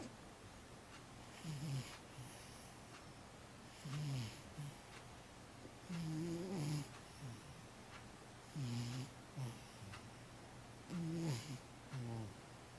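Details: Old cat Matchan, aged 15, asleep and snoring: soft, low rasping snores with short squeaky tonal catches, about five breaths repeated every two to three seconds, quiet room hum underneath.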